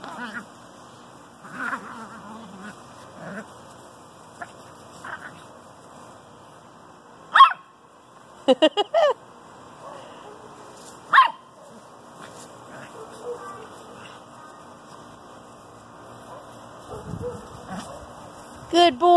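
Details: Eight-week-old Great Pyrenees puppy, newly accepted into the pack, giving scattered short yips and sharp barks, with a quick cluster of bursts near the middle and a final yelp, over a quiet indoor background with faint speech.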